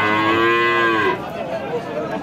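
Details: Holstein Friesian cow at Rajshahi city market, Bangladesh, lowing in one steady harmonic moo of about a second that fades off, with faint market chatter after.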